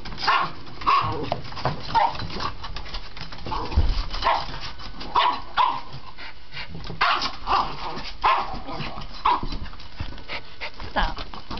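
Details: Pet dog Misty, a female, barking excitedly as her family gets ready for a walk; sharp, mid-pitched barks come in quick bursts, roughly one or two each second, with short pauses between clusters over a low indoor background.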